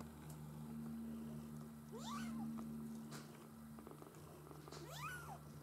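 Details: Maine Coon kittens from a breeder's litter give two high, arching mews that rise then fall, over a steady low hum; finding: Maine Coon.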